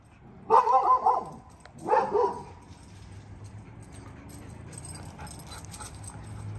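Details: Belgian Malinois guard dog barking at a visitor: two deep, harmonic barks about a second apart, then quiet background hum.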